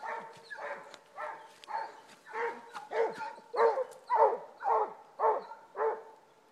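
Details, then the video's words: Two Basset Hounds baying on a rabbit trail: a loud, steady run of resonant bawls with strong harmonics, about two a second, rising in volume toward the middle. "Basset Hounds on the trail - tried and ahrooooo"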